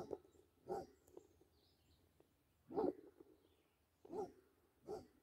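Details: Barking Basset Hound at play with a deer: single deep woofs spaced about a second or more apart, five in total, over faint outdoor background noise.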